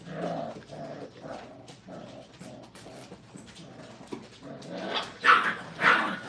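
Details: Five-week-old Brittany puppies learning crate training in a kennel. Soft, rapid growly grumbles and small yips run throughout, then two sharper, louder squeals close together near the end.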